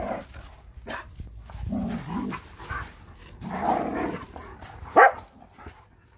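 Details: Borzoi and standard poodle play fighting; low rumbling growls in bursts with one sharp high yelp or bark near the end.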